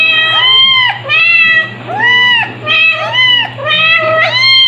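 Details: High arched meows from Stuart, a white male kitten two months old in July 2022, still crying a lot at this age: four or five insistent calls, each swelling then dropping, separated by brief pauses, with a constant low electrical hum.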